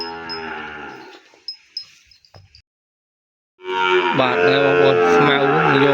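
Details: Penned calf separated from its mother on a Cambodian farm: one moo fades out, silence follows, then a loud, strained, sustained bawl begins and carries to the end.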